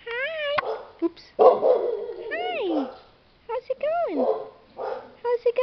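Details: Twenty-five-day-old Chow Chow puppies outdoors for the very first time, giving high, sliding whines that rise and fall steeply, while a woman talks to them softly.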